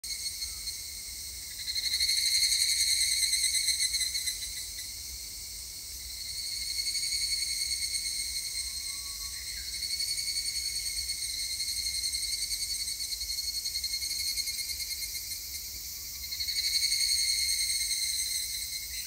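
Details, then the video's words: Higurashi cicadas recorded on 3 August 2021: a steady high, ringing insect chorus that swells loudly around two and seventeen seconds and again near seven, with overlapping callers keeping a continuous shimmering drone. "セミの鳴き声 ひぐらし"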